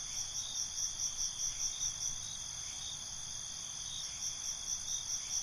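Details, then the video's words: Crickets calling at night, many overlapping high trilling tones forming a constant ringing layer, with soft rhythmic pulses repeating roughly every quarter second throughout. "Night ambience, Cricket Conversations"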